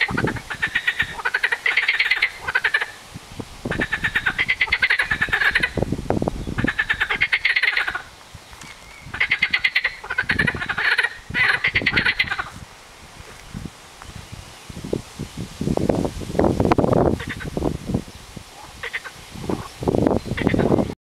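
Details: Unidentified frogs in a local pond in South East England, never heard there before, possibly an introduced species: fast rattling pulse trains in bursts of about one to one and a half seconds, repeated several times, then lower, irregular croaks toward the end.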